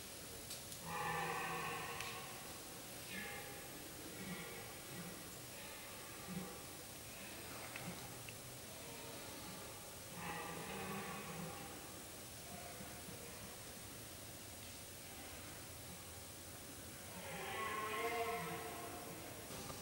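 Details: A red deer stag roars in drawn-out, harmonic bellows during the rut in a quiet forest, repeated at intervals amid a chase between males and females. Finding: Red deer.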